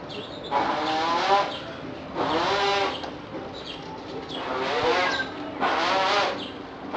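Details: Male chimpanzee at Nagoya Zoo, Japan, in May 2011, making fart noises with his mouth while another chimp nearby eats dung; four loud buzzy, sputtering bursts, each about a second long, with short gaps between them.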